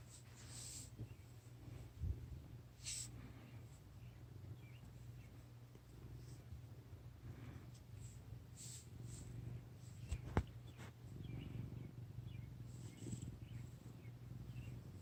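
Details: Low continuous rumble from a fat sleeping male cat snoring, holding an even throbbing drone throughout, broken by scattered light taps and rustling, one sharp click around the two-thirds mark.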